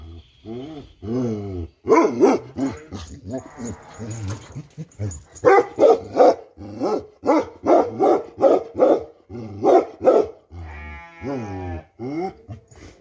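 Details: Pure-line Bakarwal dog barking in a loose, uneven series of deep, harmonic barks about two to three per second, opening with a few drawn-out, wavering tones before the bark bursts.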